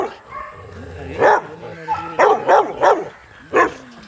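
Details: Kennel exercise yard with young Rottweilers giving deep, punchy barks: one lone bark, then a quick cluster of four, and a final single bark, over a faint background murmur.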